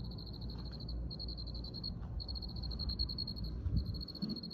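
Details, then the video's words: Cricket trilling in rapid high-pitched pulse trains, nearly continuous with brief breaks about every second, low background hum beneath. "Soothing sounds of Cricket"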